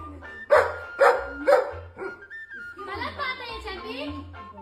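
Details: Dog chasing a girl, then running to its mother while making noise: three short, sharp barks about half a second apart, followed by drawn-out whining, voice-like sounds over quiet background music.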